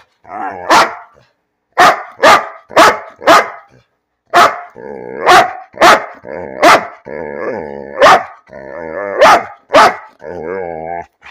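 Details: Bean the dog barking for no reason: sharp, loud barks in quick bursts of three or four, broken by short pauses and mixed with drawn-out, wavering, howl-like grumbles.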